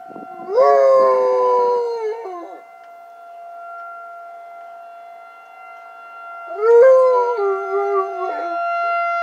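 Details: A pet dog named Coach howls at a tornado siren. Two loud howls, each about two seconds long, start high and slide gradually downward, then break off. A quiet pause separates them, and the faint steady siren tone continues underneath.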